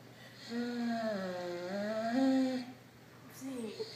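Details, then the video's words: Zeke the dog, playing tug with Gracie, lets out a long, wavering moan that dips and rises for about two seconds, followed by a shorter rising whine, in a quiet small room. "Zeke Makes Odd Noises"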